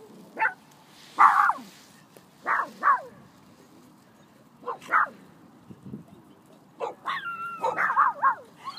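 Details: Small Phalène dog running among big dogs and barking to stand up to them; sharp high barks at irregular intervals, some with a whining rise, over a low background hum.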